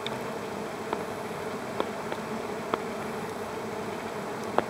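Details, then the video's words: Bees grappling over a flower produce a constant buzzing drone, broken by sharp clicks roughly every half to one second. "Two bees one flower"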